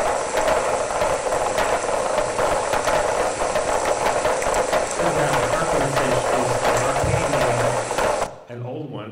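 Several sperm whales produce rapid, broadband clicks that overlap into a rattling, workshop-like clatter. A man's voice can be faintly heard beneath the clicking before it cuts off.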